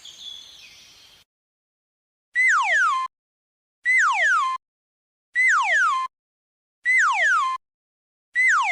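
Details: Guinea pig giving a loud whistled call that starts high, holds briefly, then slides steeply downward, repeated five times at even intervals of about one and a half seconds after a short hissy opening sound.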